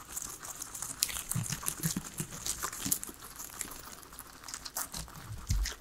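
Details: Three pet guinea pigs eating their veggies, a salad, indoors: crisp crunching and crinkling bites scattered through, with sharp snaps near one and three seconds and soft low thumps between, no talking or music.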